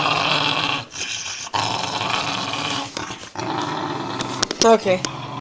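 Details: Indoor female dog defending her bone, giving a long harsh growl that breaks off for short breaths, ending in a few sharp higher yelps and whines near the end, with speech in the background.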